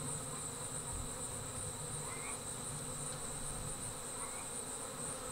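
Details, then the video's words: Swarming honey bees leaving the hive give a deep, rumbling buzz with a persistent high whine and a couple of short faint chirps. "Bee Swarm Leaving the Hive"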